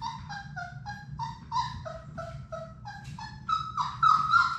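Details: Sadie's six Labrador Retriever puppies at play indoors in their play room give a run of brief whiny yips, about three per second, stepping up and down in pitch, with a constant low hum behind.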